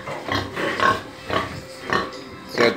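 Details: Farm pigs make short harsh grunting bursts about every half second, spaced unevenly, over quiet background noise and faint music.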